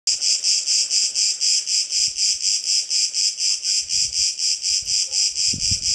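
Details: A single Cicada cretensis singing on Crete, recorded from a terrace at midday nap time: a loud, high, hissing buzz pulsed in steady throbs about twice per second, with faint low thumps beneath.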